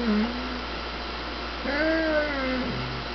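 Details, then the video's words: A Doberman making talking noises indoors: a short low whine followed by a longer, wavering, moaning vocalization that rises and falls, then a brief low grumble, over a steady mains hum. "Doberman talk"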